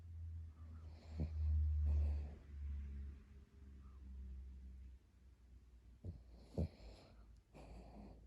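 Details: Brooklyn, a chubby sleeping Chiweenie dog, snores as loudly as a person indoors. Two rasping breathy snores swell around the first and sixth seconds, with a soft low rumble between them in a quiet small room.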